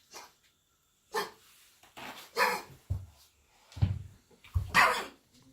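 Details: A Labrador Retriever with kennel cough, caught during several days in a boarding kennel and treated with antibiotics, gives harsh, honking coughs in irregular bursts; the owners at first thought it had eaten sticks.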